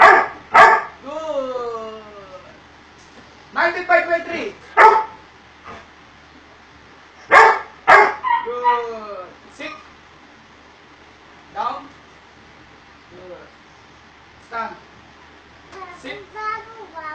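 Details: Doberman Pinscher being obedience trained: irregular bursts of loud barks, each group trailing into short falling whines, with scattered softer yelps and whimpers in between across the whole stretch.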